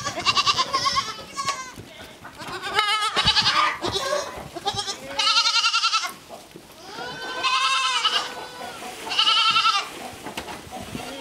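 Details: Baby goats in a play area bleat repeatedly, several overlapping tremulous cries, each about a second long with a shaky vibrato, coming in bursts every one to two seconds amid light background noise.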